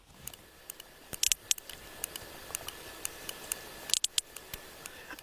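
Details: Sharp, dry clicks from a sperm whale recorded off Ibiza in the Western Balearics, Mediterranean, come in uneven bursts against a soft background hiss.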